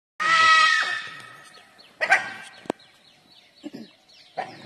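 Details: A dhole in the jungle gives a loud, harsh, wavering alarm cry, followed by shorter sharp yelps.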